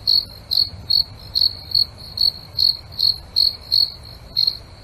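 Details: Crickets in a night-time nature setting chirp steadily, short high trilled pulses repeating about twice a second.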